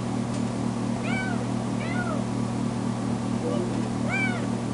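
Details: Recently spayed foster kitten meowing loudly, throwing a fit when left alone in a bedroom: three clear, arched, falling meows about a second apart, plus a faint softer call, over a steady low electrical hum.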